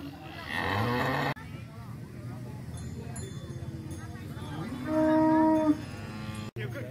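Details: Several types of cattle, including Bali, Limousin and Brahman, gathered in a field; a short, low, tonal moo with clear harmonics rises near the end, after a stretch of people talking and crowd noise.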